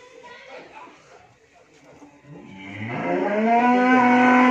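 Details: Friesian cow that has calved for the first time, kept with her heifer calf at a dairy farm in Bhangura, Pabna, Bangladesh; after a quiet start, a loud, drawn-out, harmonically rich moo swells and holds steady to the end.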